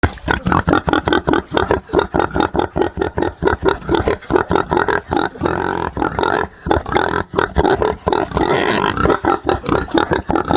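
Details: Pig in a pigsty on a farm, crying: rapid, harsh, rasping squeals pulsing several times a second, loud and continuous throughout.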